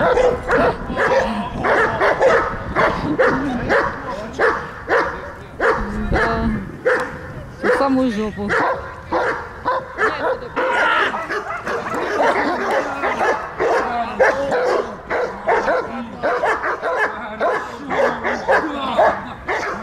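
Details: During protection work at a service dog training centre in Odesa, Ukraine, an attacking Belgian Malinois barks in quick repeated bursts while a handler speaks loudly over it.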